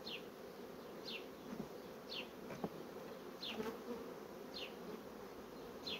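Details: Rapidly expanding honey bee colony with brood: a steady low buzzing of many bees beneath short high descending chirps, likely from a bird, repeated about once a second.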